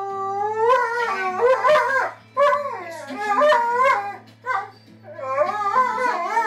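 A Siberian Husky howls in long, wavering, yodel-like phrases that rise and fall over a low steady hum.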